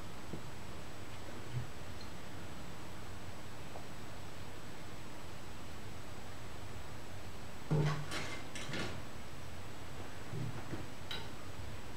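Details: A quiet indoor room with a low steady hum, a thin constant high tone, and a few brief clicks and rustles near the eighth second.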